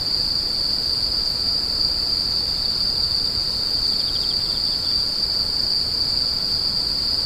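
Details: A constant high insect drone rings without pause, joined briefly near the middle by a soft rapid chirping burst.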